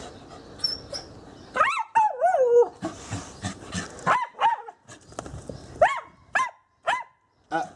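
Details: Female Scottish Terrier out on a walk, stopped at a gate, gives drawn-out wavering whines that swoop up and down, then sharp repeated yelps about every half second, while a person nearby speaks to her.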